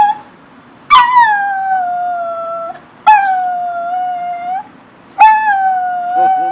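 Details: Kipper, a pet dog that dislikes car alarms, keeps howling after the alarm stops: three long, drawn-out howls, each starting with a sharp rise and then gliding gently down before fading, separated by short pauses.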